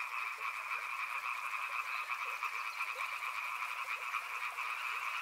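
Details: A crowd of frogs near a river keeps up an unbroken chorus of fast, buzzing croaks, layered high and mid, with soft scattered clicks beneath.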